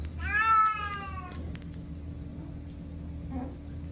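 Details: Kitten from a 2020 compilation of funny, cute kittens gives one clear, drawn-out meow lasting about a second, slightly falling at its end, followed by quiet room sound and a faint later squeak.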